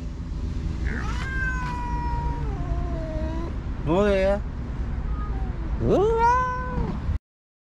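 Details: Motherless kittens, rescued from the street after a week of waiting for the mother cat, getting wet food: three clear meows, a long level cry, a quick wavering one and a rising, arched call, with steady low background noise.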